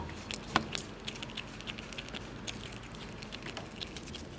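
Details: Several squirrels feed on nuts, making one sharp crack followed by a steady patter of small, dry gnawing clicks at a fast, uneven rate against a soft low hum.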